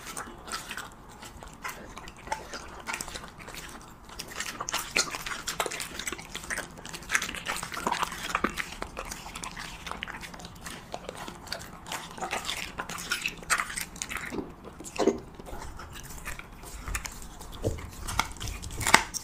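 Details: Siberian Husky eating cheese meat indoors, close up: dense crunchy biting and chewing clicks go on steadily for about nineteen seconds, with wet smacking between louder crunches.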